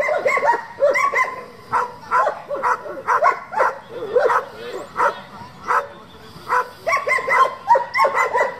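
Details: German Shepherd from a working group of the breed raised for breeding and competition, giving dense, rapid, overlapping barks in quick bursts with brief pauses, sharp and mid-pitched throughout.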